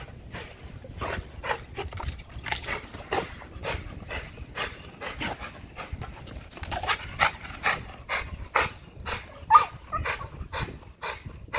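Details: An XL American Bully exercising on a spring pole, puffing in short sharp breaths, quick and irregular, growing louder and more forceful toward the end, with quiet background noise.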